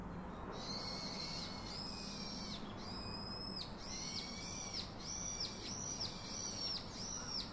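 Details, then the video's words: Baby monkey calling out to its father to be hugged and comforted, giving high, whistled, arched cries repeated steadily about every second or so, each rising and falling, over a soft steady hiss. "Baby Call Daddy To Hug Comfort Him"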